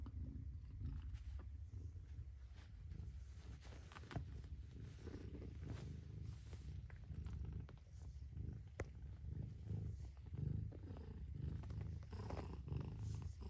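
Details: Deep, unbroken purr from a mother cat, low and throaty, rising slightly in loudness toward the end, with occasional clicks and rustles over it.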